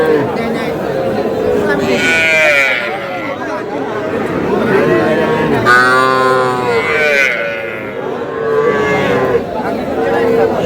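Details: Cattle at a busy livestock market in Comilla, Bangladesh, where a farmer buys small bull and heifer calves on a Tuesday market day; three long harmonic moos, each rising then falling, over steady crowd chatter and a man's voice.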